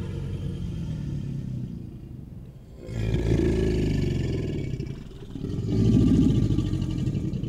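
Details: An American alligator bellows in deep, rumbling bursts that throb low like a distant engine, a mating behaviour.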